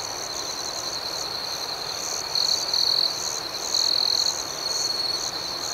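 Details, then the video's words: Crickets chirping at night outdoors: a steady high-pitched trill with a pulsing upper layer, and louder shrill bursts around two and a half and four seconds over a soft background hiss. "Soothing Cricket Sounds"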